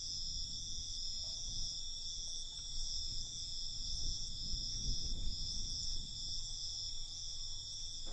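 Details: Night crickets keep up a continuous high, ringing buzz without pause, over a faint low-pitched rumble.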